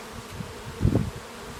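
A bee's low buzzing hum swells briefly as it passes close, then fades.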